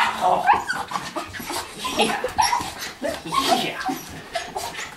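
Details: Two miniature schnauzers, grey four-year-old Tucker and black Abby at one and a half, excitedly greet their owner home from a 12-month deployment in northern Afghanistan; high whistled whines and whimpers rise and fall indoors, mixed with a man's praising voice.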